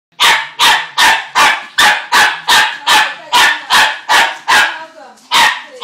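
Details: Dog barking at a NASCAR race: a steady run of loud, sharp barks, about two per second, twelve in all, with a brief whining pause near the end.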